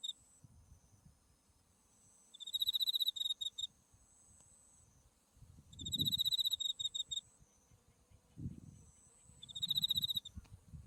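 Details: Insects singing in autumn near a buckwheat field in bloom with Mount Tsukuba behind: shrill pulsed trills in three bursts about every three and a half seconds, a steady faint high tone running underneath, and soft low rumble.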